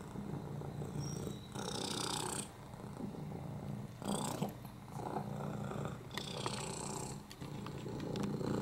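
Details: Lap cat Oliver, FIV-positive, with a broken hip and upper respiratory infections, purrs steadily; a deep rumbling drone is broken by four noisy, wheezy breath swells, spaced about two seconds apart, plus a few soft clicks.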